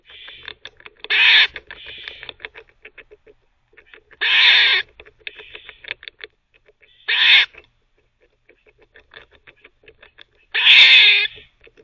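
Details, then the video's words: Teething squirrel at a teething cafe barking between bouts of chewing: four harsh, buzzy barks about three seconds apart, with steady quick clicks and gnawing noises filling the gaps. "Squirrel barking (while teething)"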